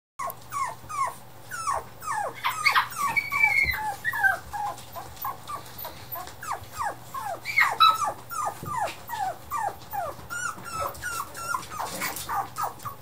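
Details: Toy Poodle indoors giving a rapid, continuous series of short, high, downward-sliding whining yelps, some longer squeaky whines mixed in, with a steady low hum in the background.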